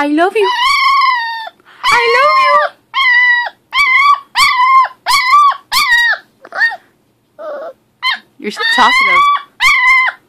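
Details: Talkative six-week-old female American Pit Bull Terrier puppy giving repeated high whining yelps, each a short bent tone, about one and a half per second. The bursts are uneven, with a quiet gap midway and occasional human speech.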